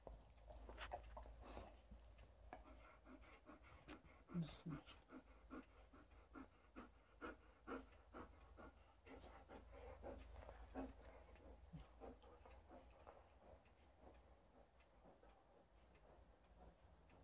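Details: Liza, a female Alaskan Malamute, tussles with her old fish toy during shedding season while family visits; quick breathy panting bursts and huffs repeat through play, mixed with rustling and scuffling, plus a few quiet spoken words.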